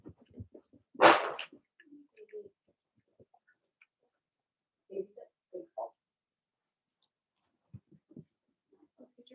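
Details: Blenheim Cavalier King Charles Spaniel puppies from Remy's first litter of six, two girls and four boys, indoors in their puppy pen: one sharp, loud bark early on, then scattered soft yips, squeaks and whimpers in a small room.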